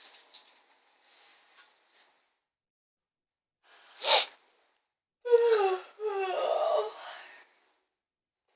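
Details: Noodle, a mouthy female pet cat, indoors in a small room: a short breathy puff, then two drawn-out harmonic meows, the second longer and wavering, with quiet room sound between.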